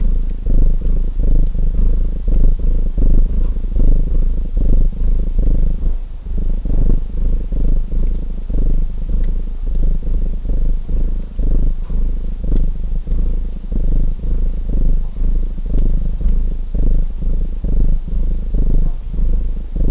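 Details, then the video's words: Domestic cat purring steadily beside a crackling fireplace: a deep, continuous rumbling throb that swells and eases with each breath, roughly every second, while sharp, sparse pops and snaps of burning wood sound above it. "Relaxing Fireplace & Purring Cat Sounds"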